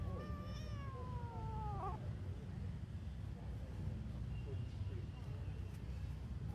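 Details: Domestic cat with one long wavering meow that slides downward and breaks off at about two seconds, followed by faint softer sounds against a constant low hum.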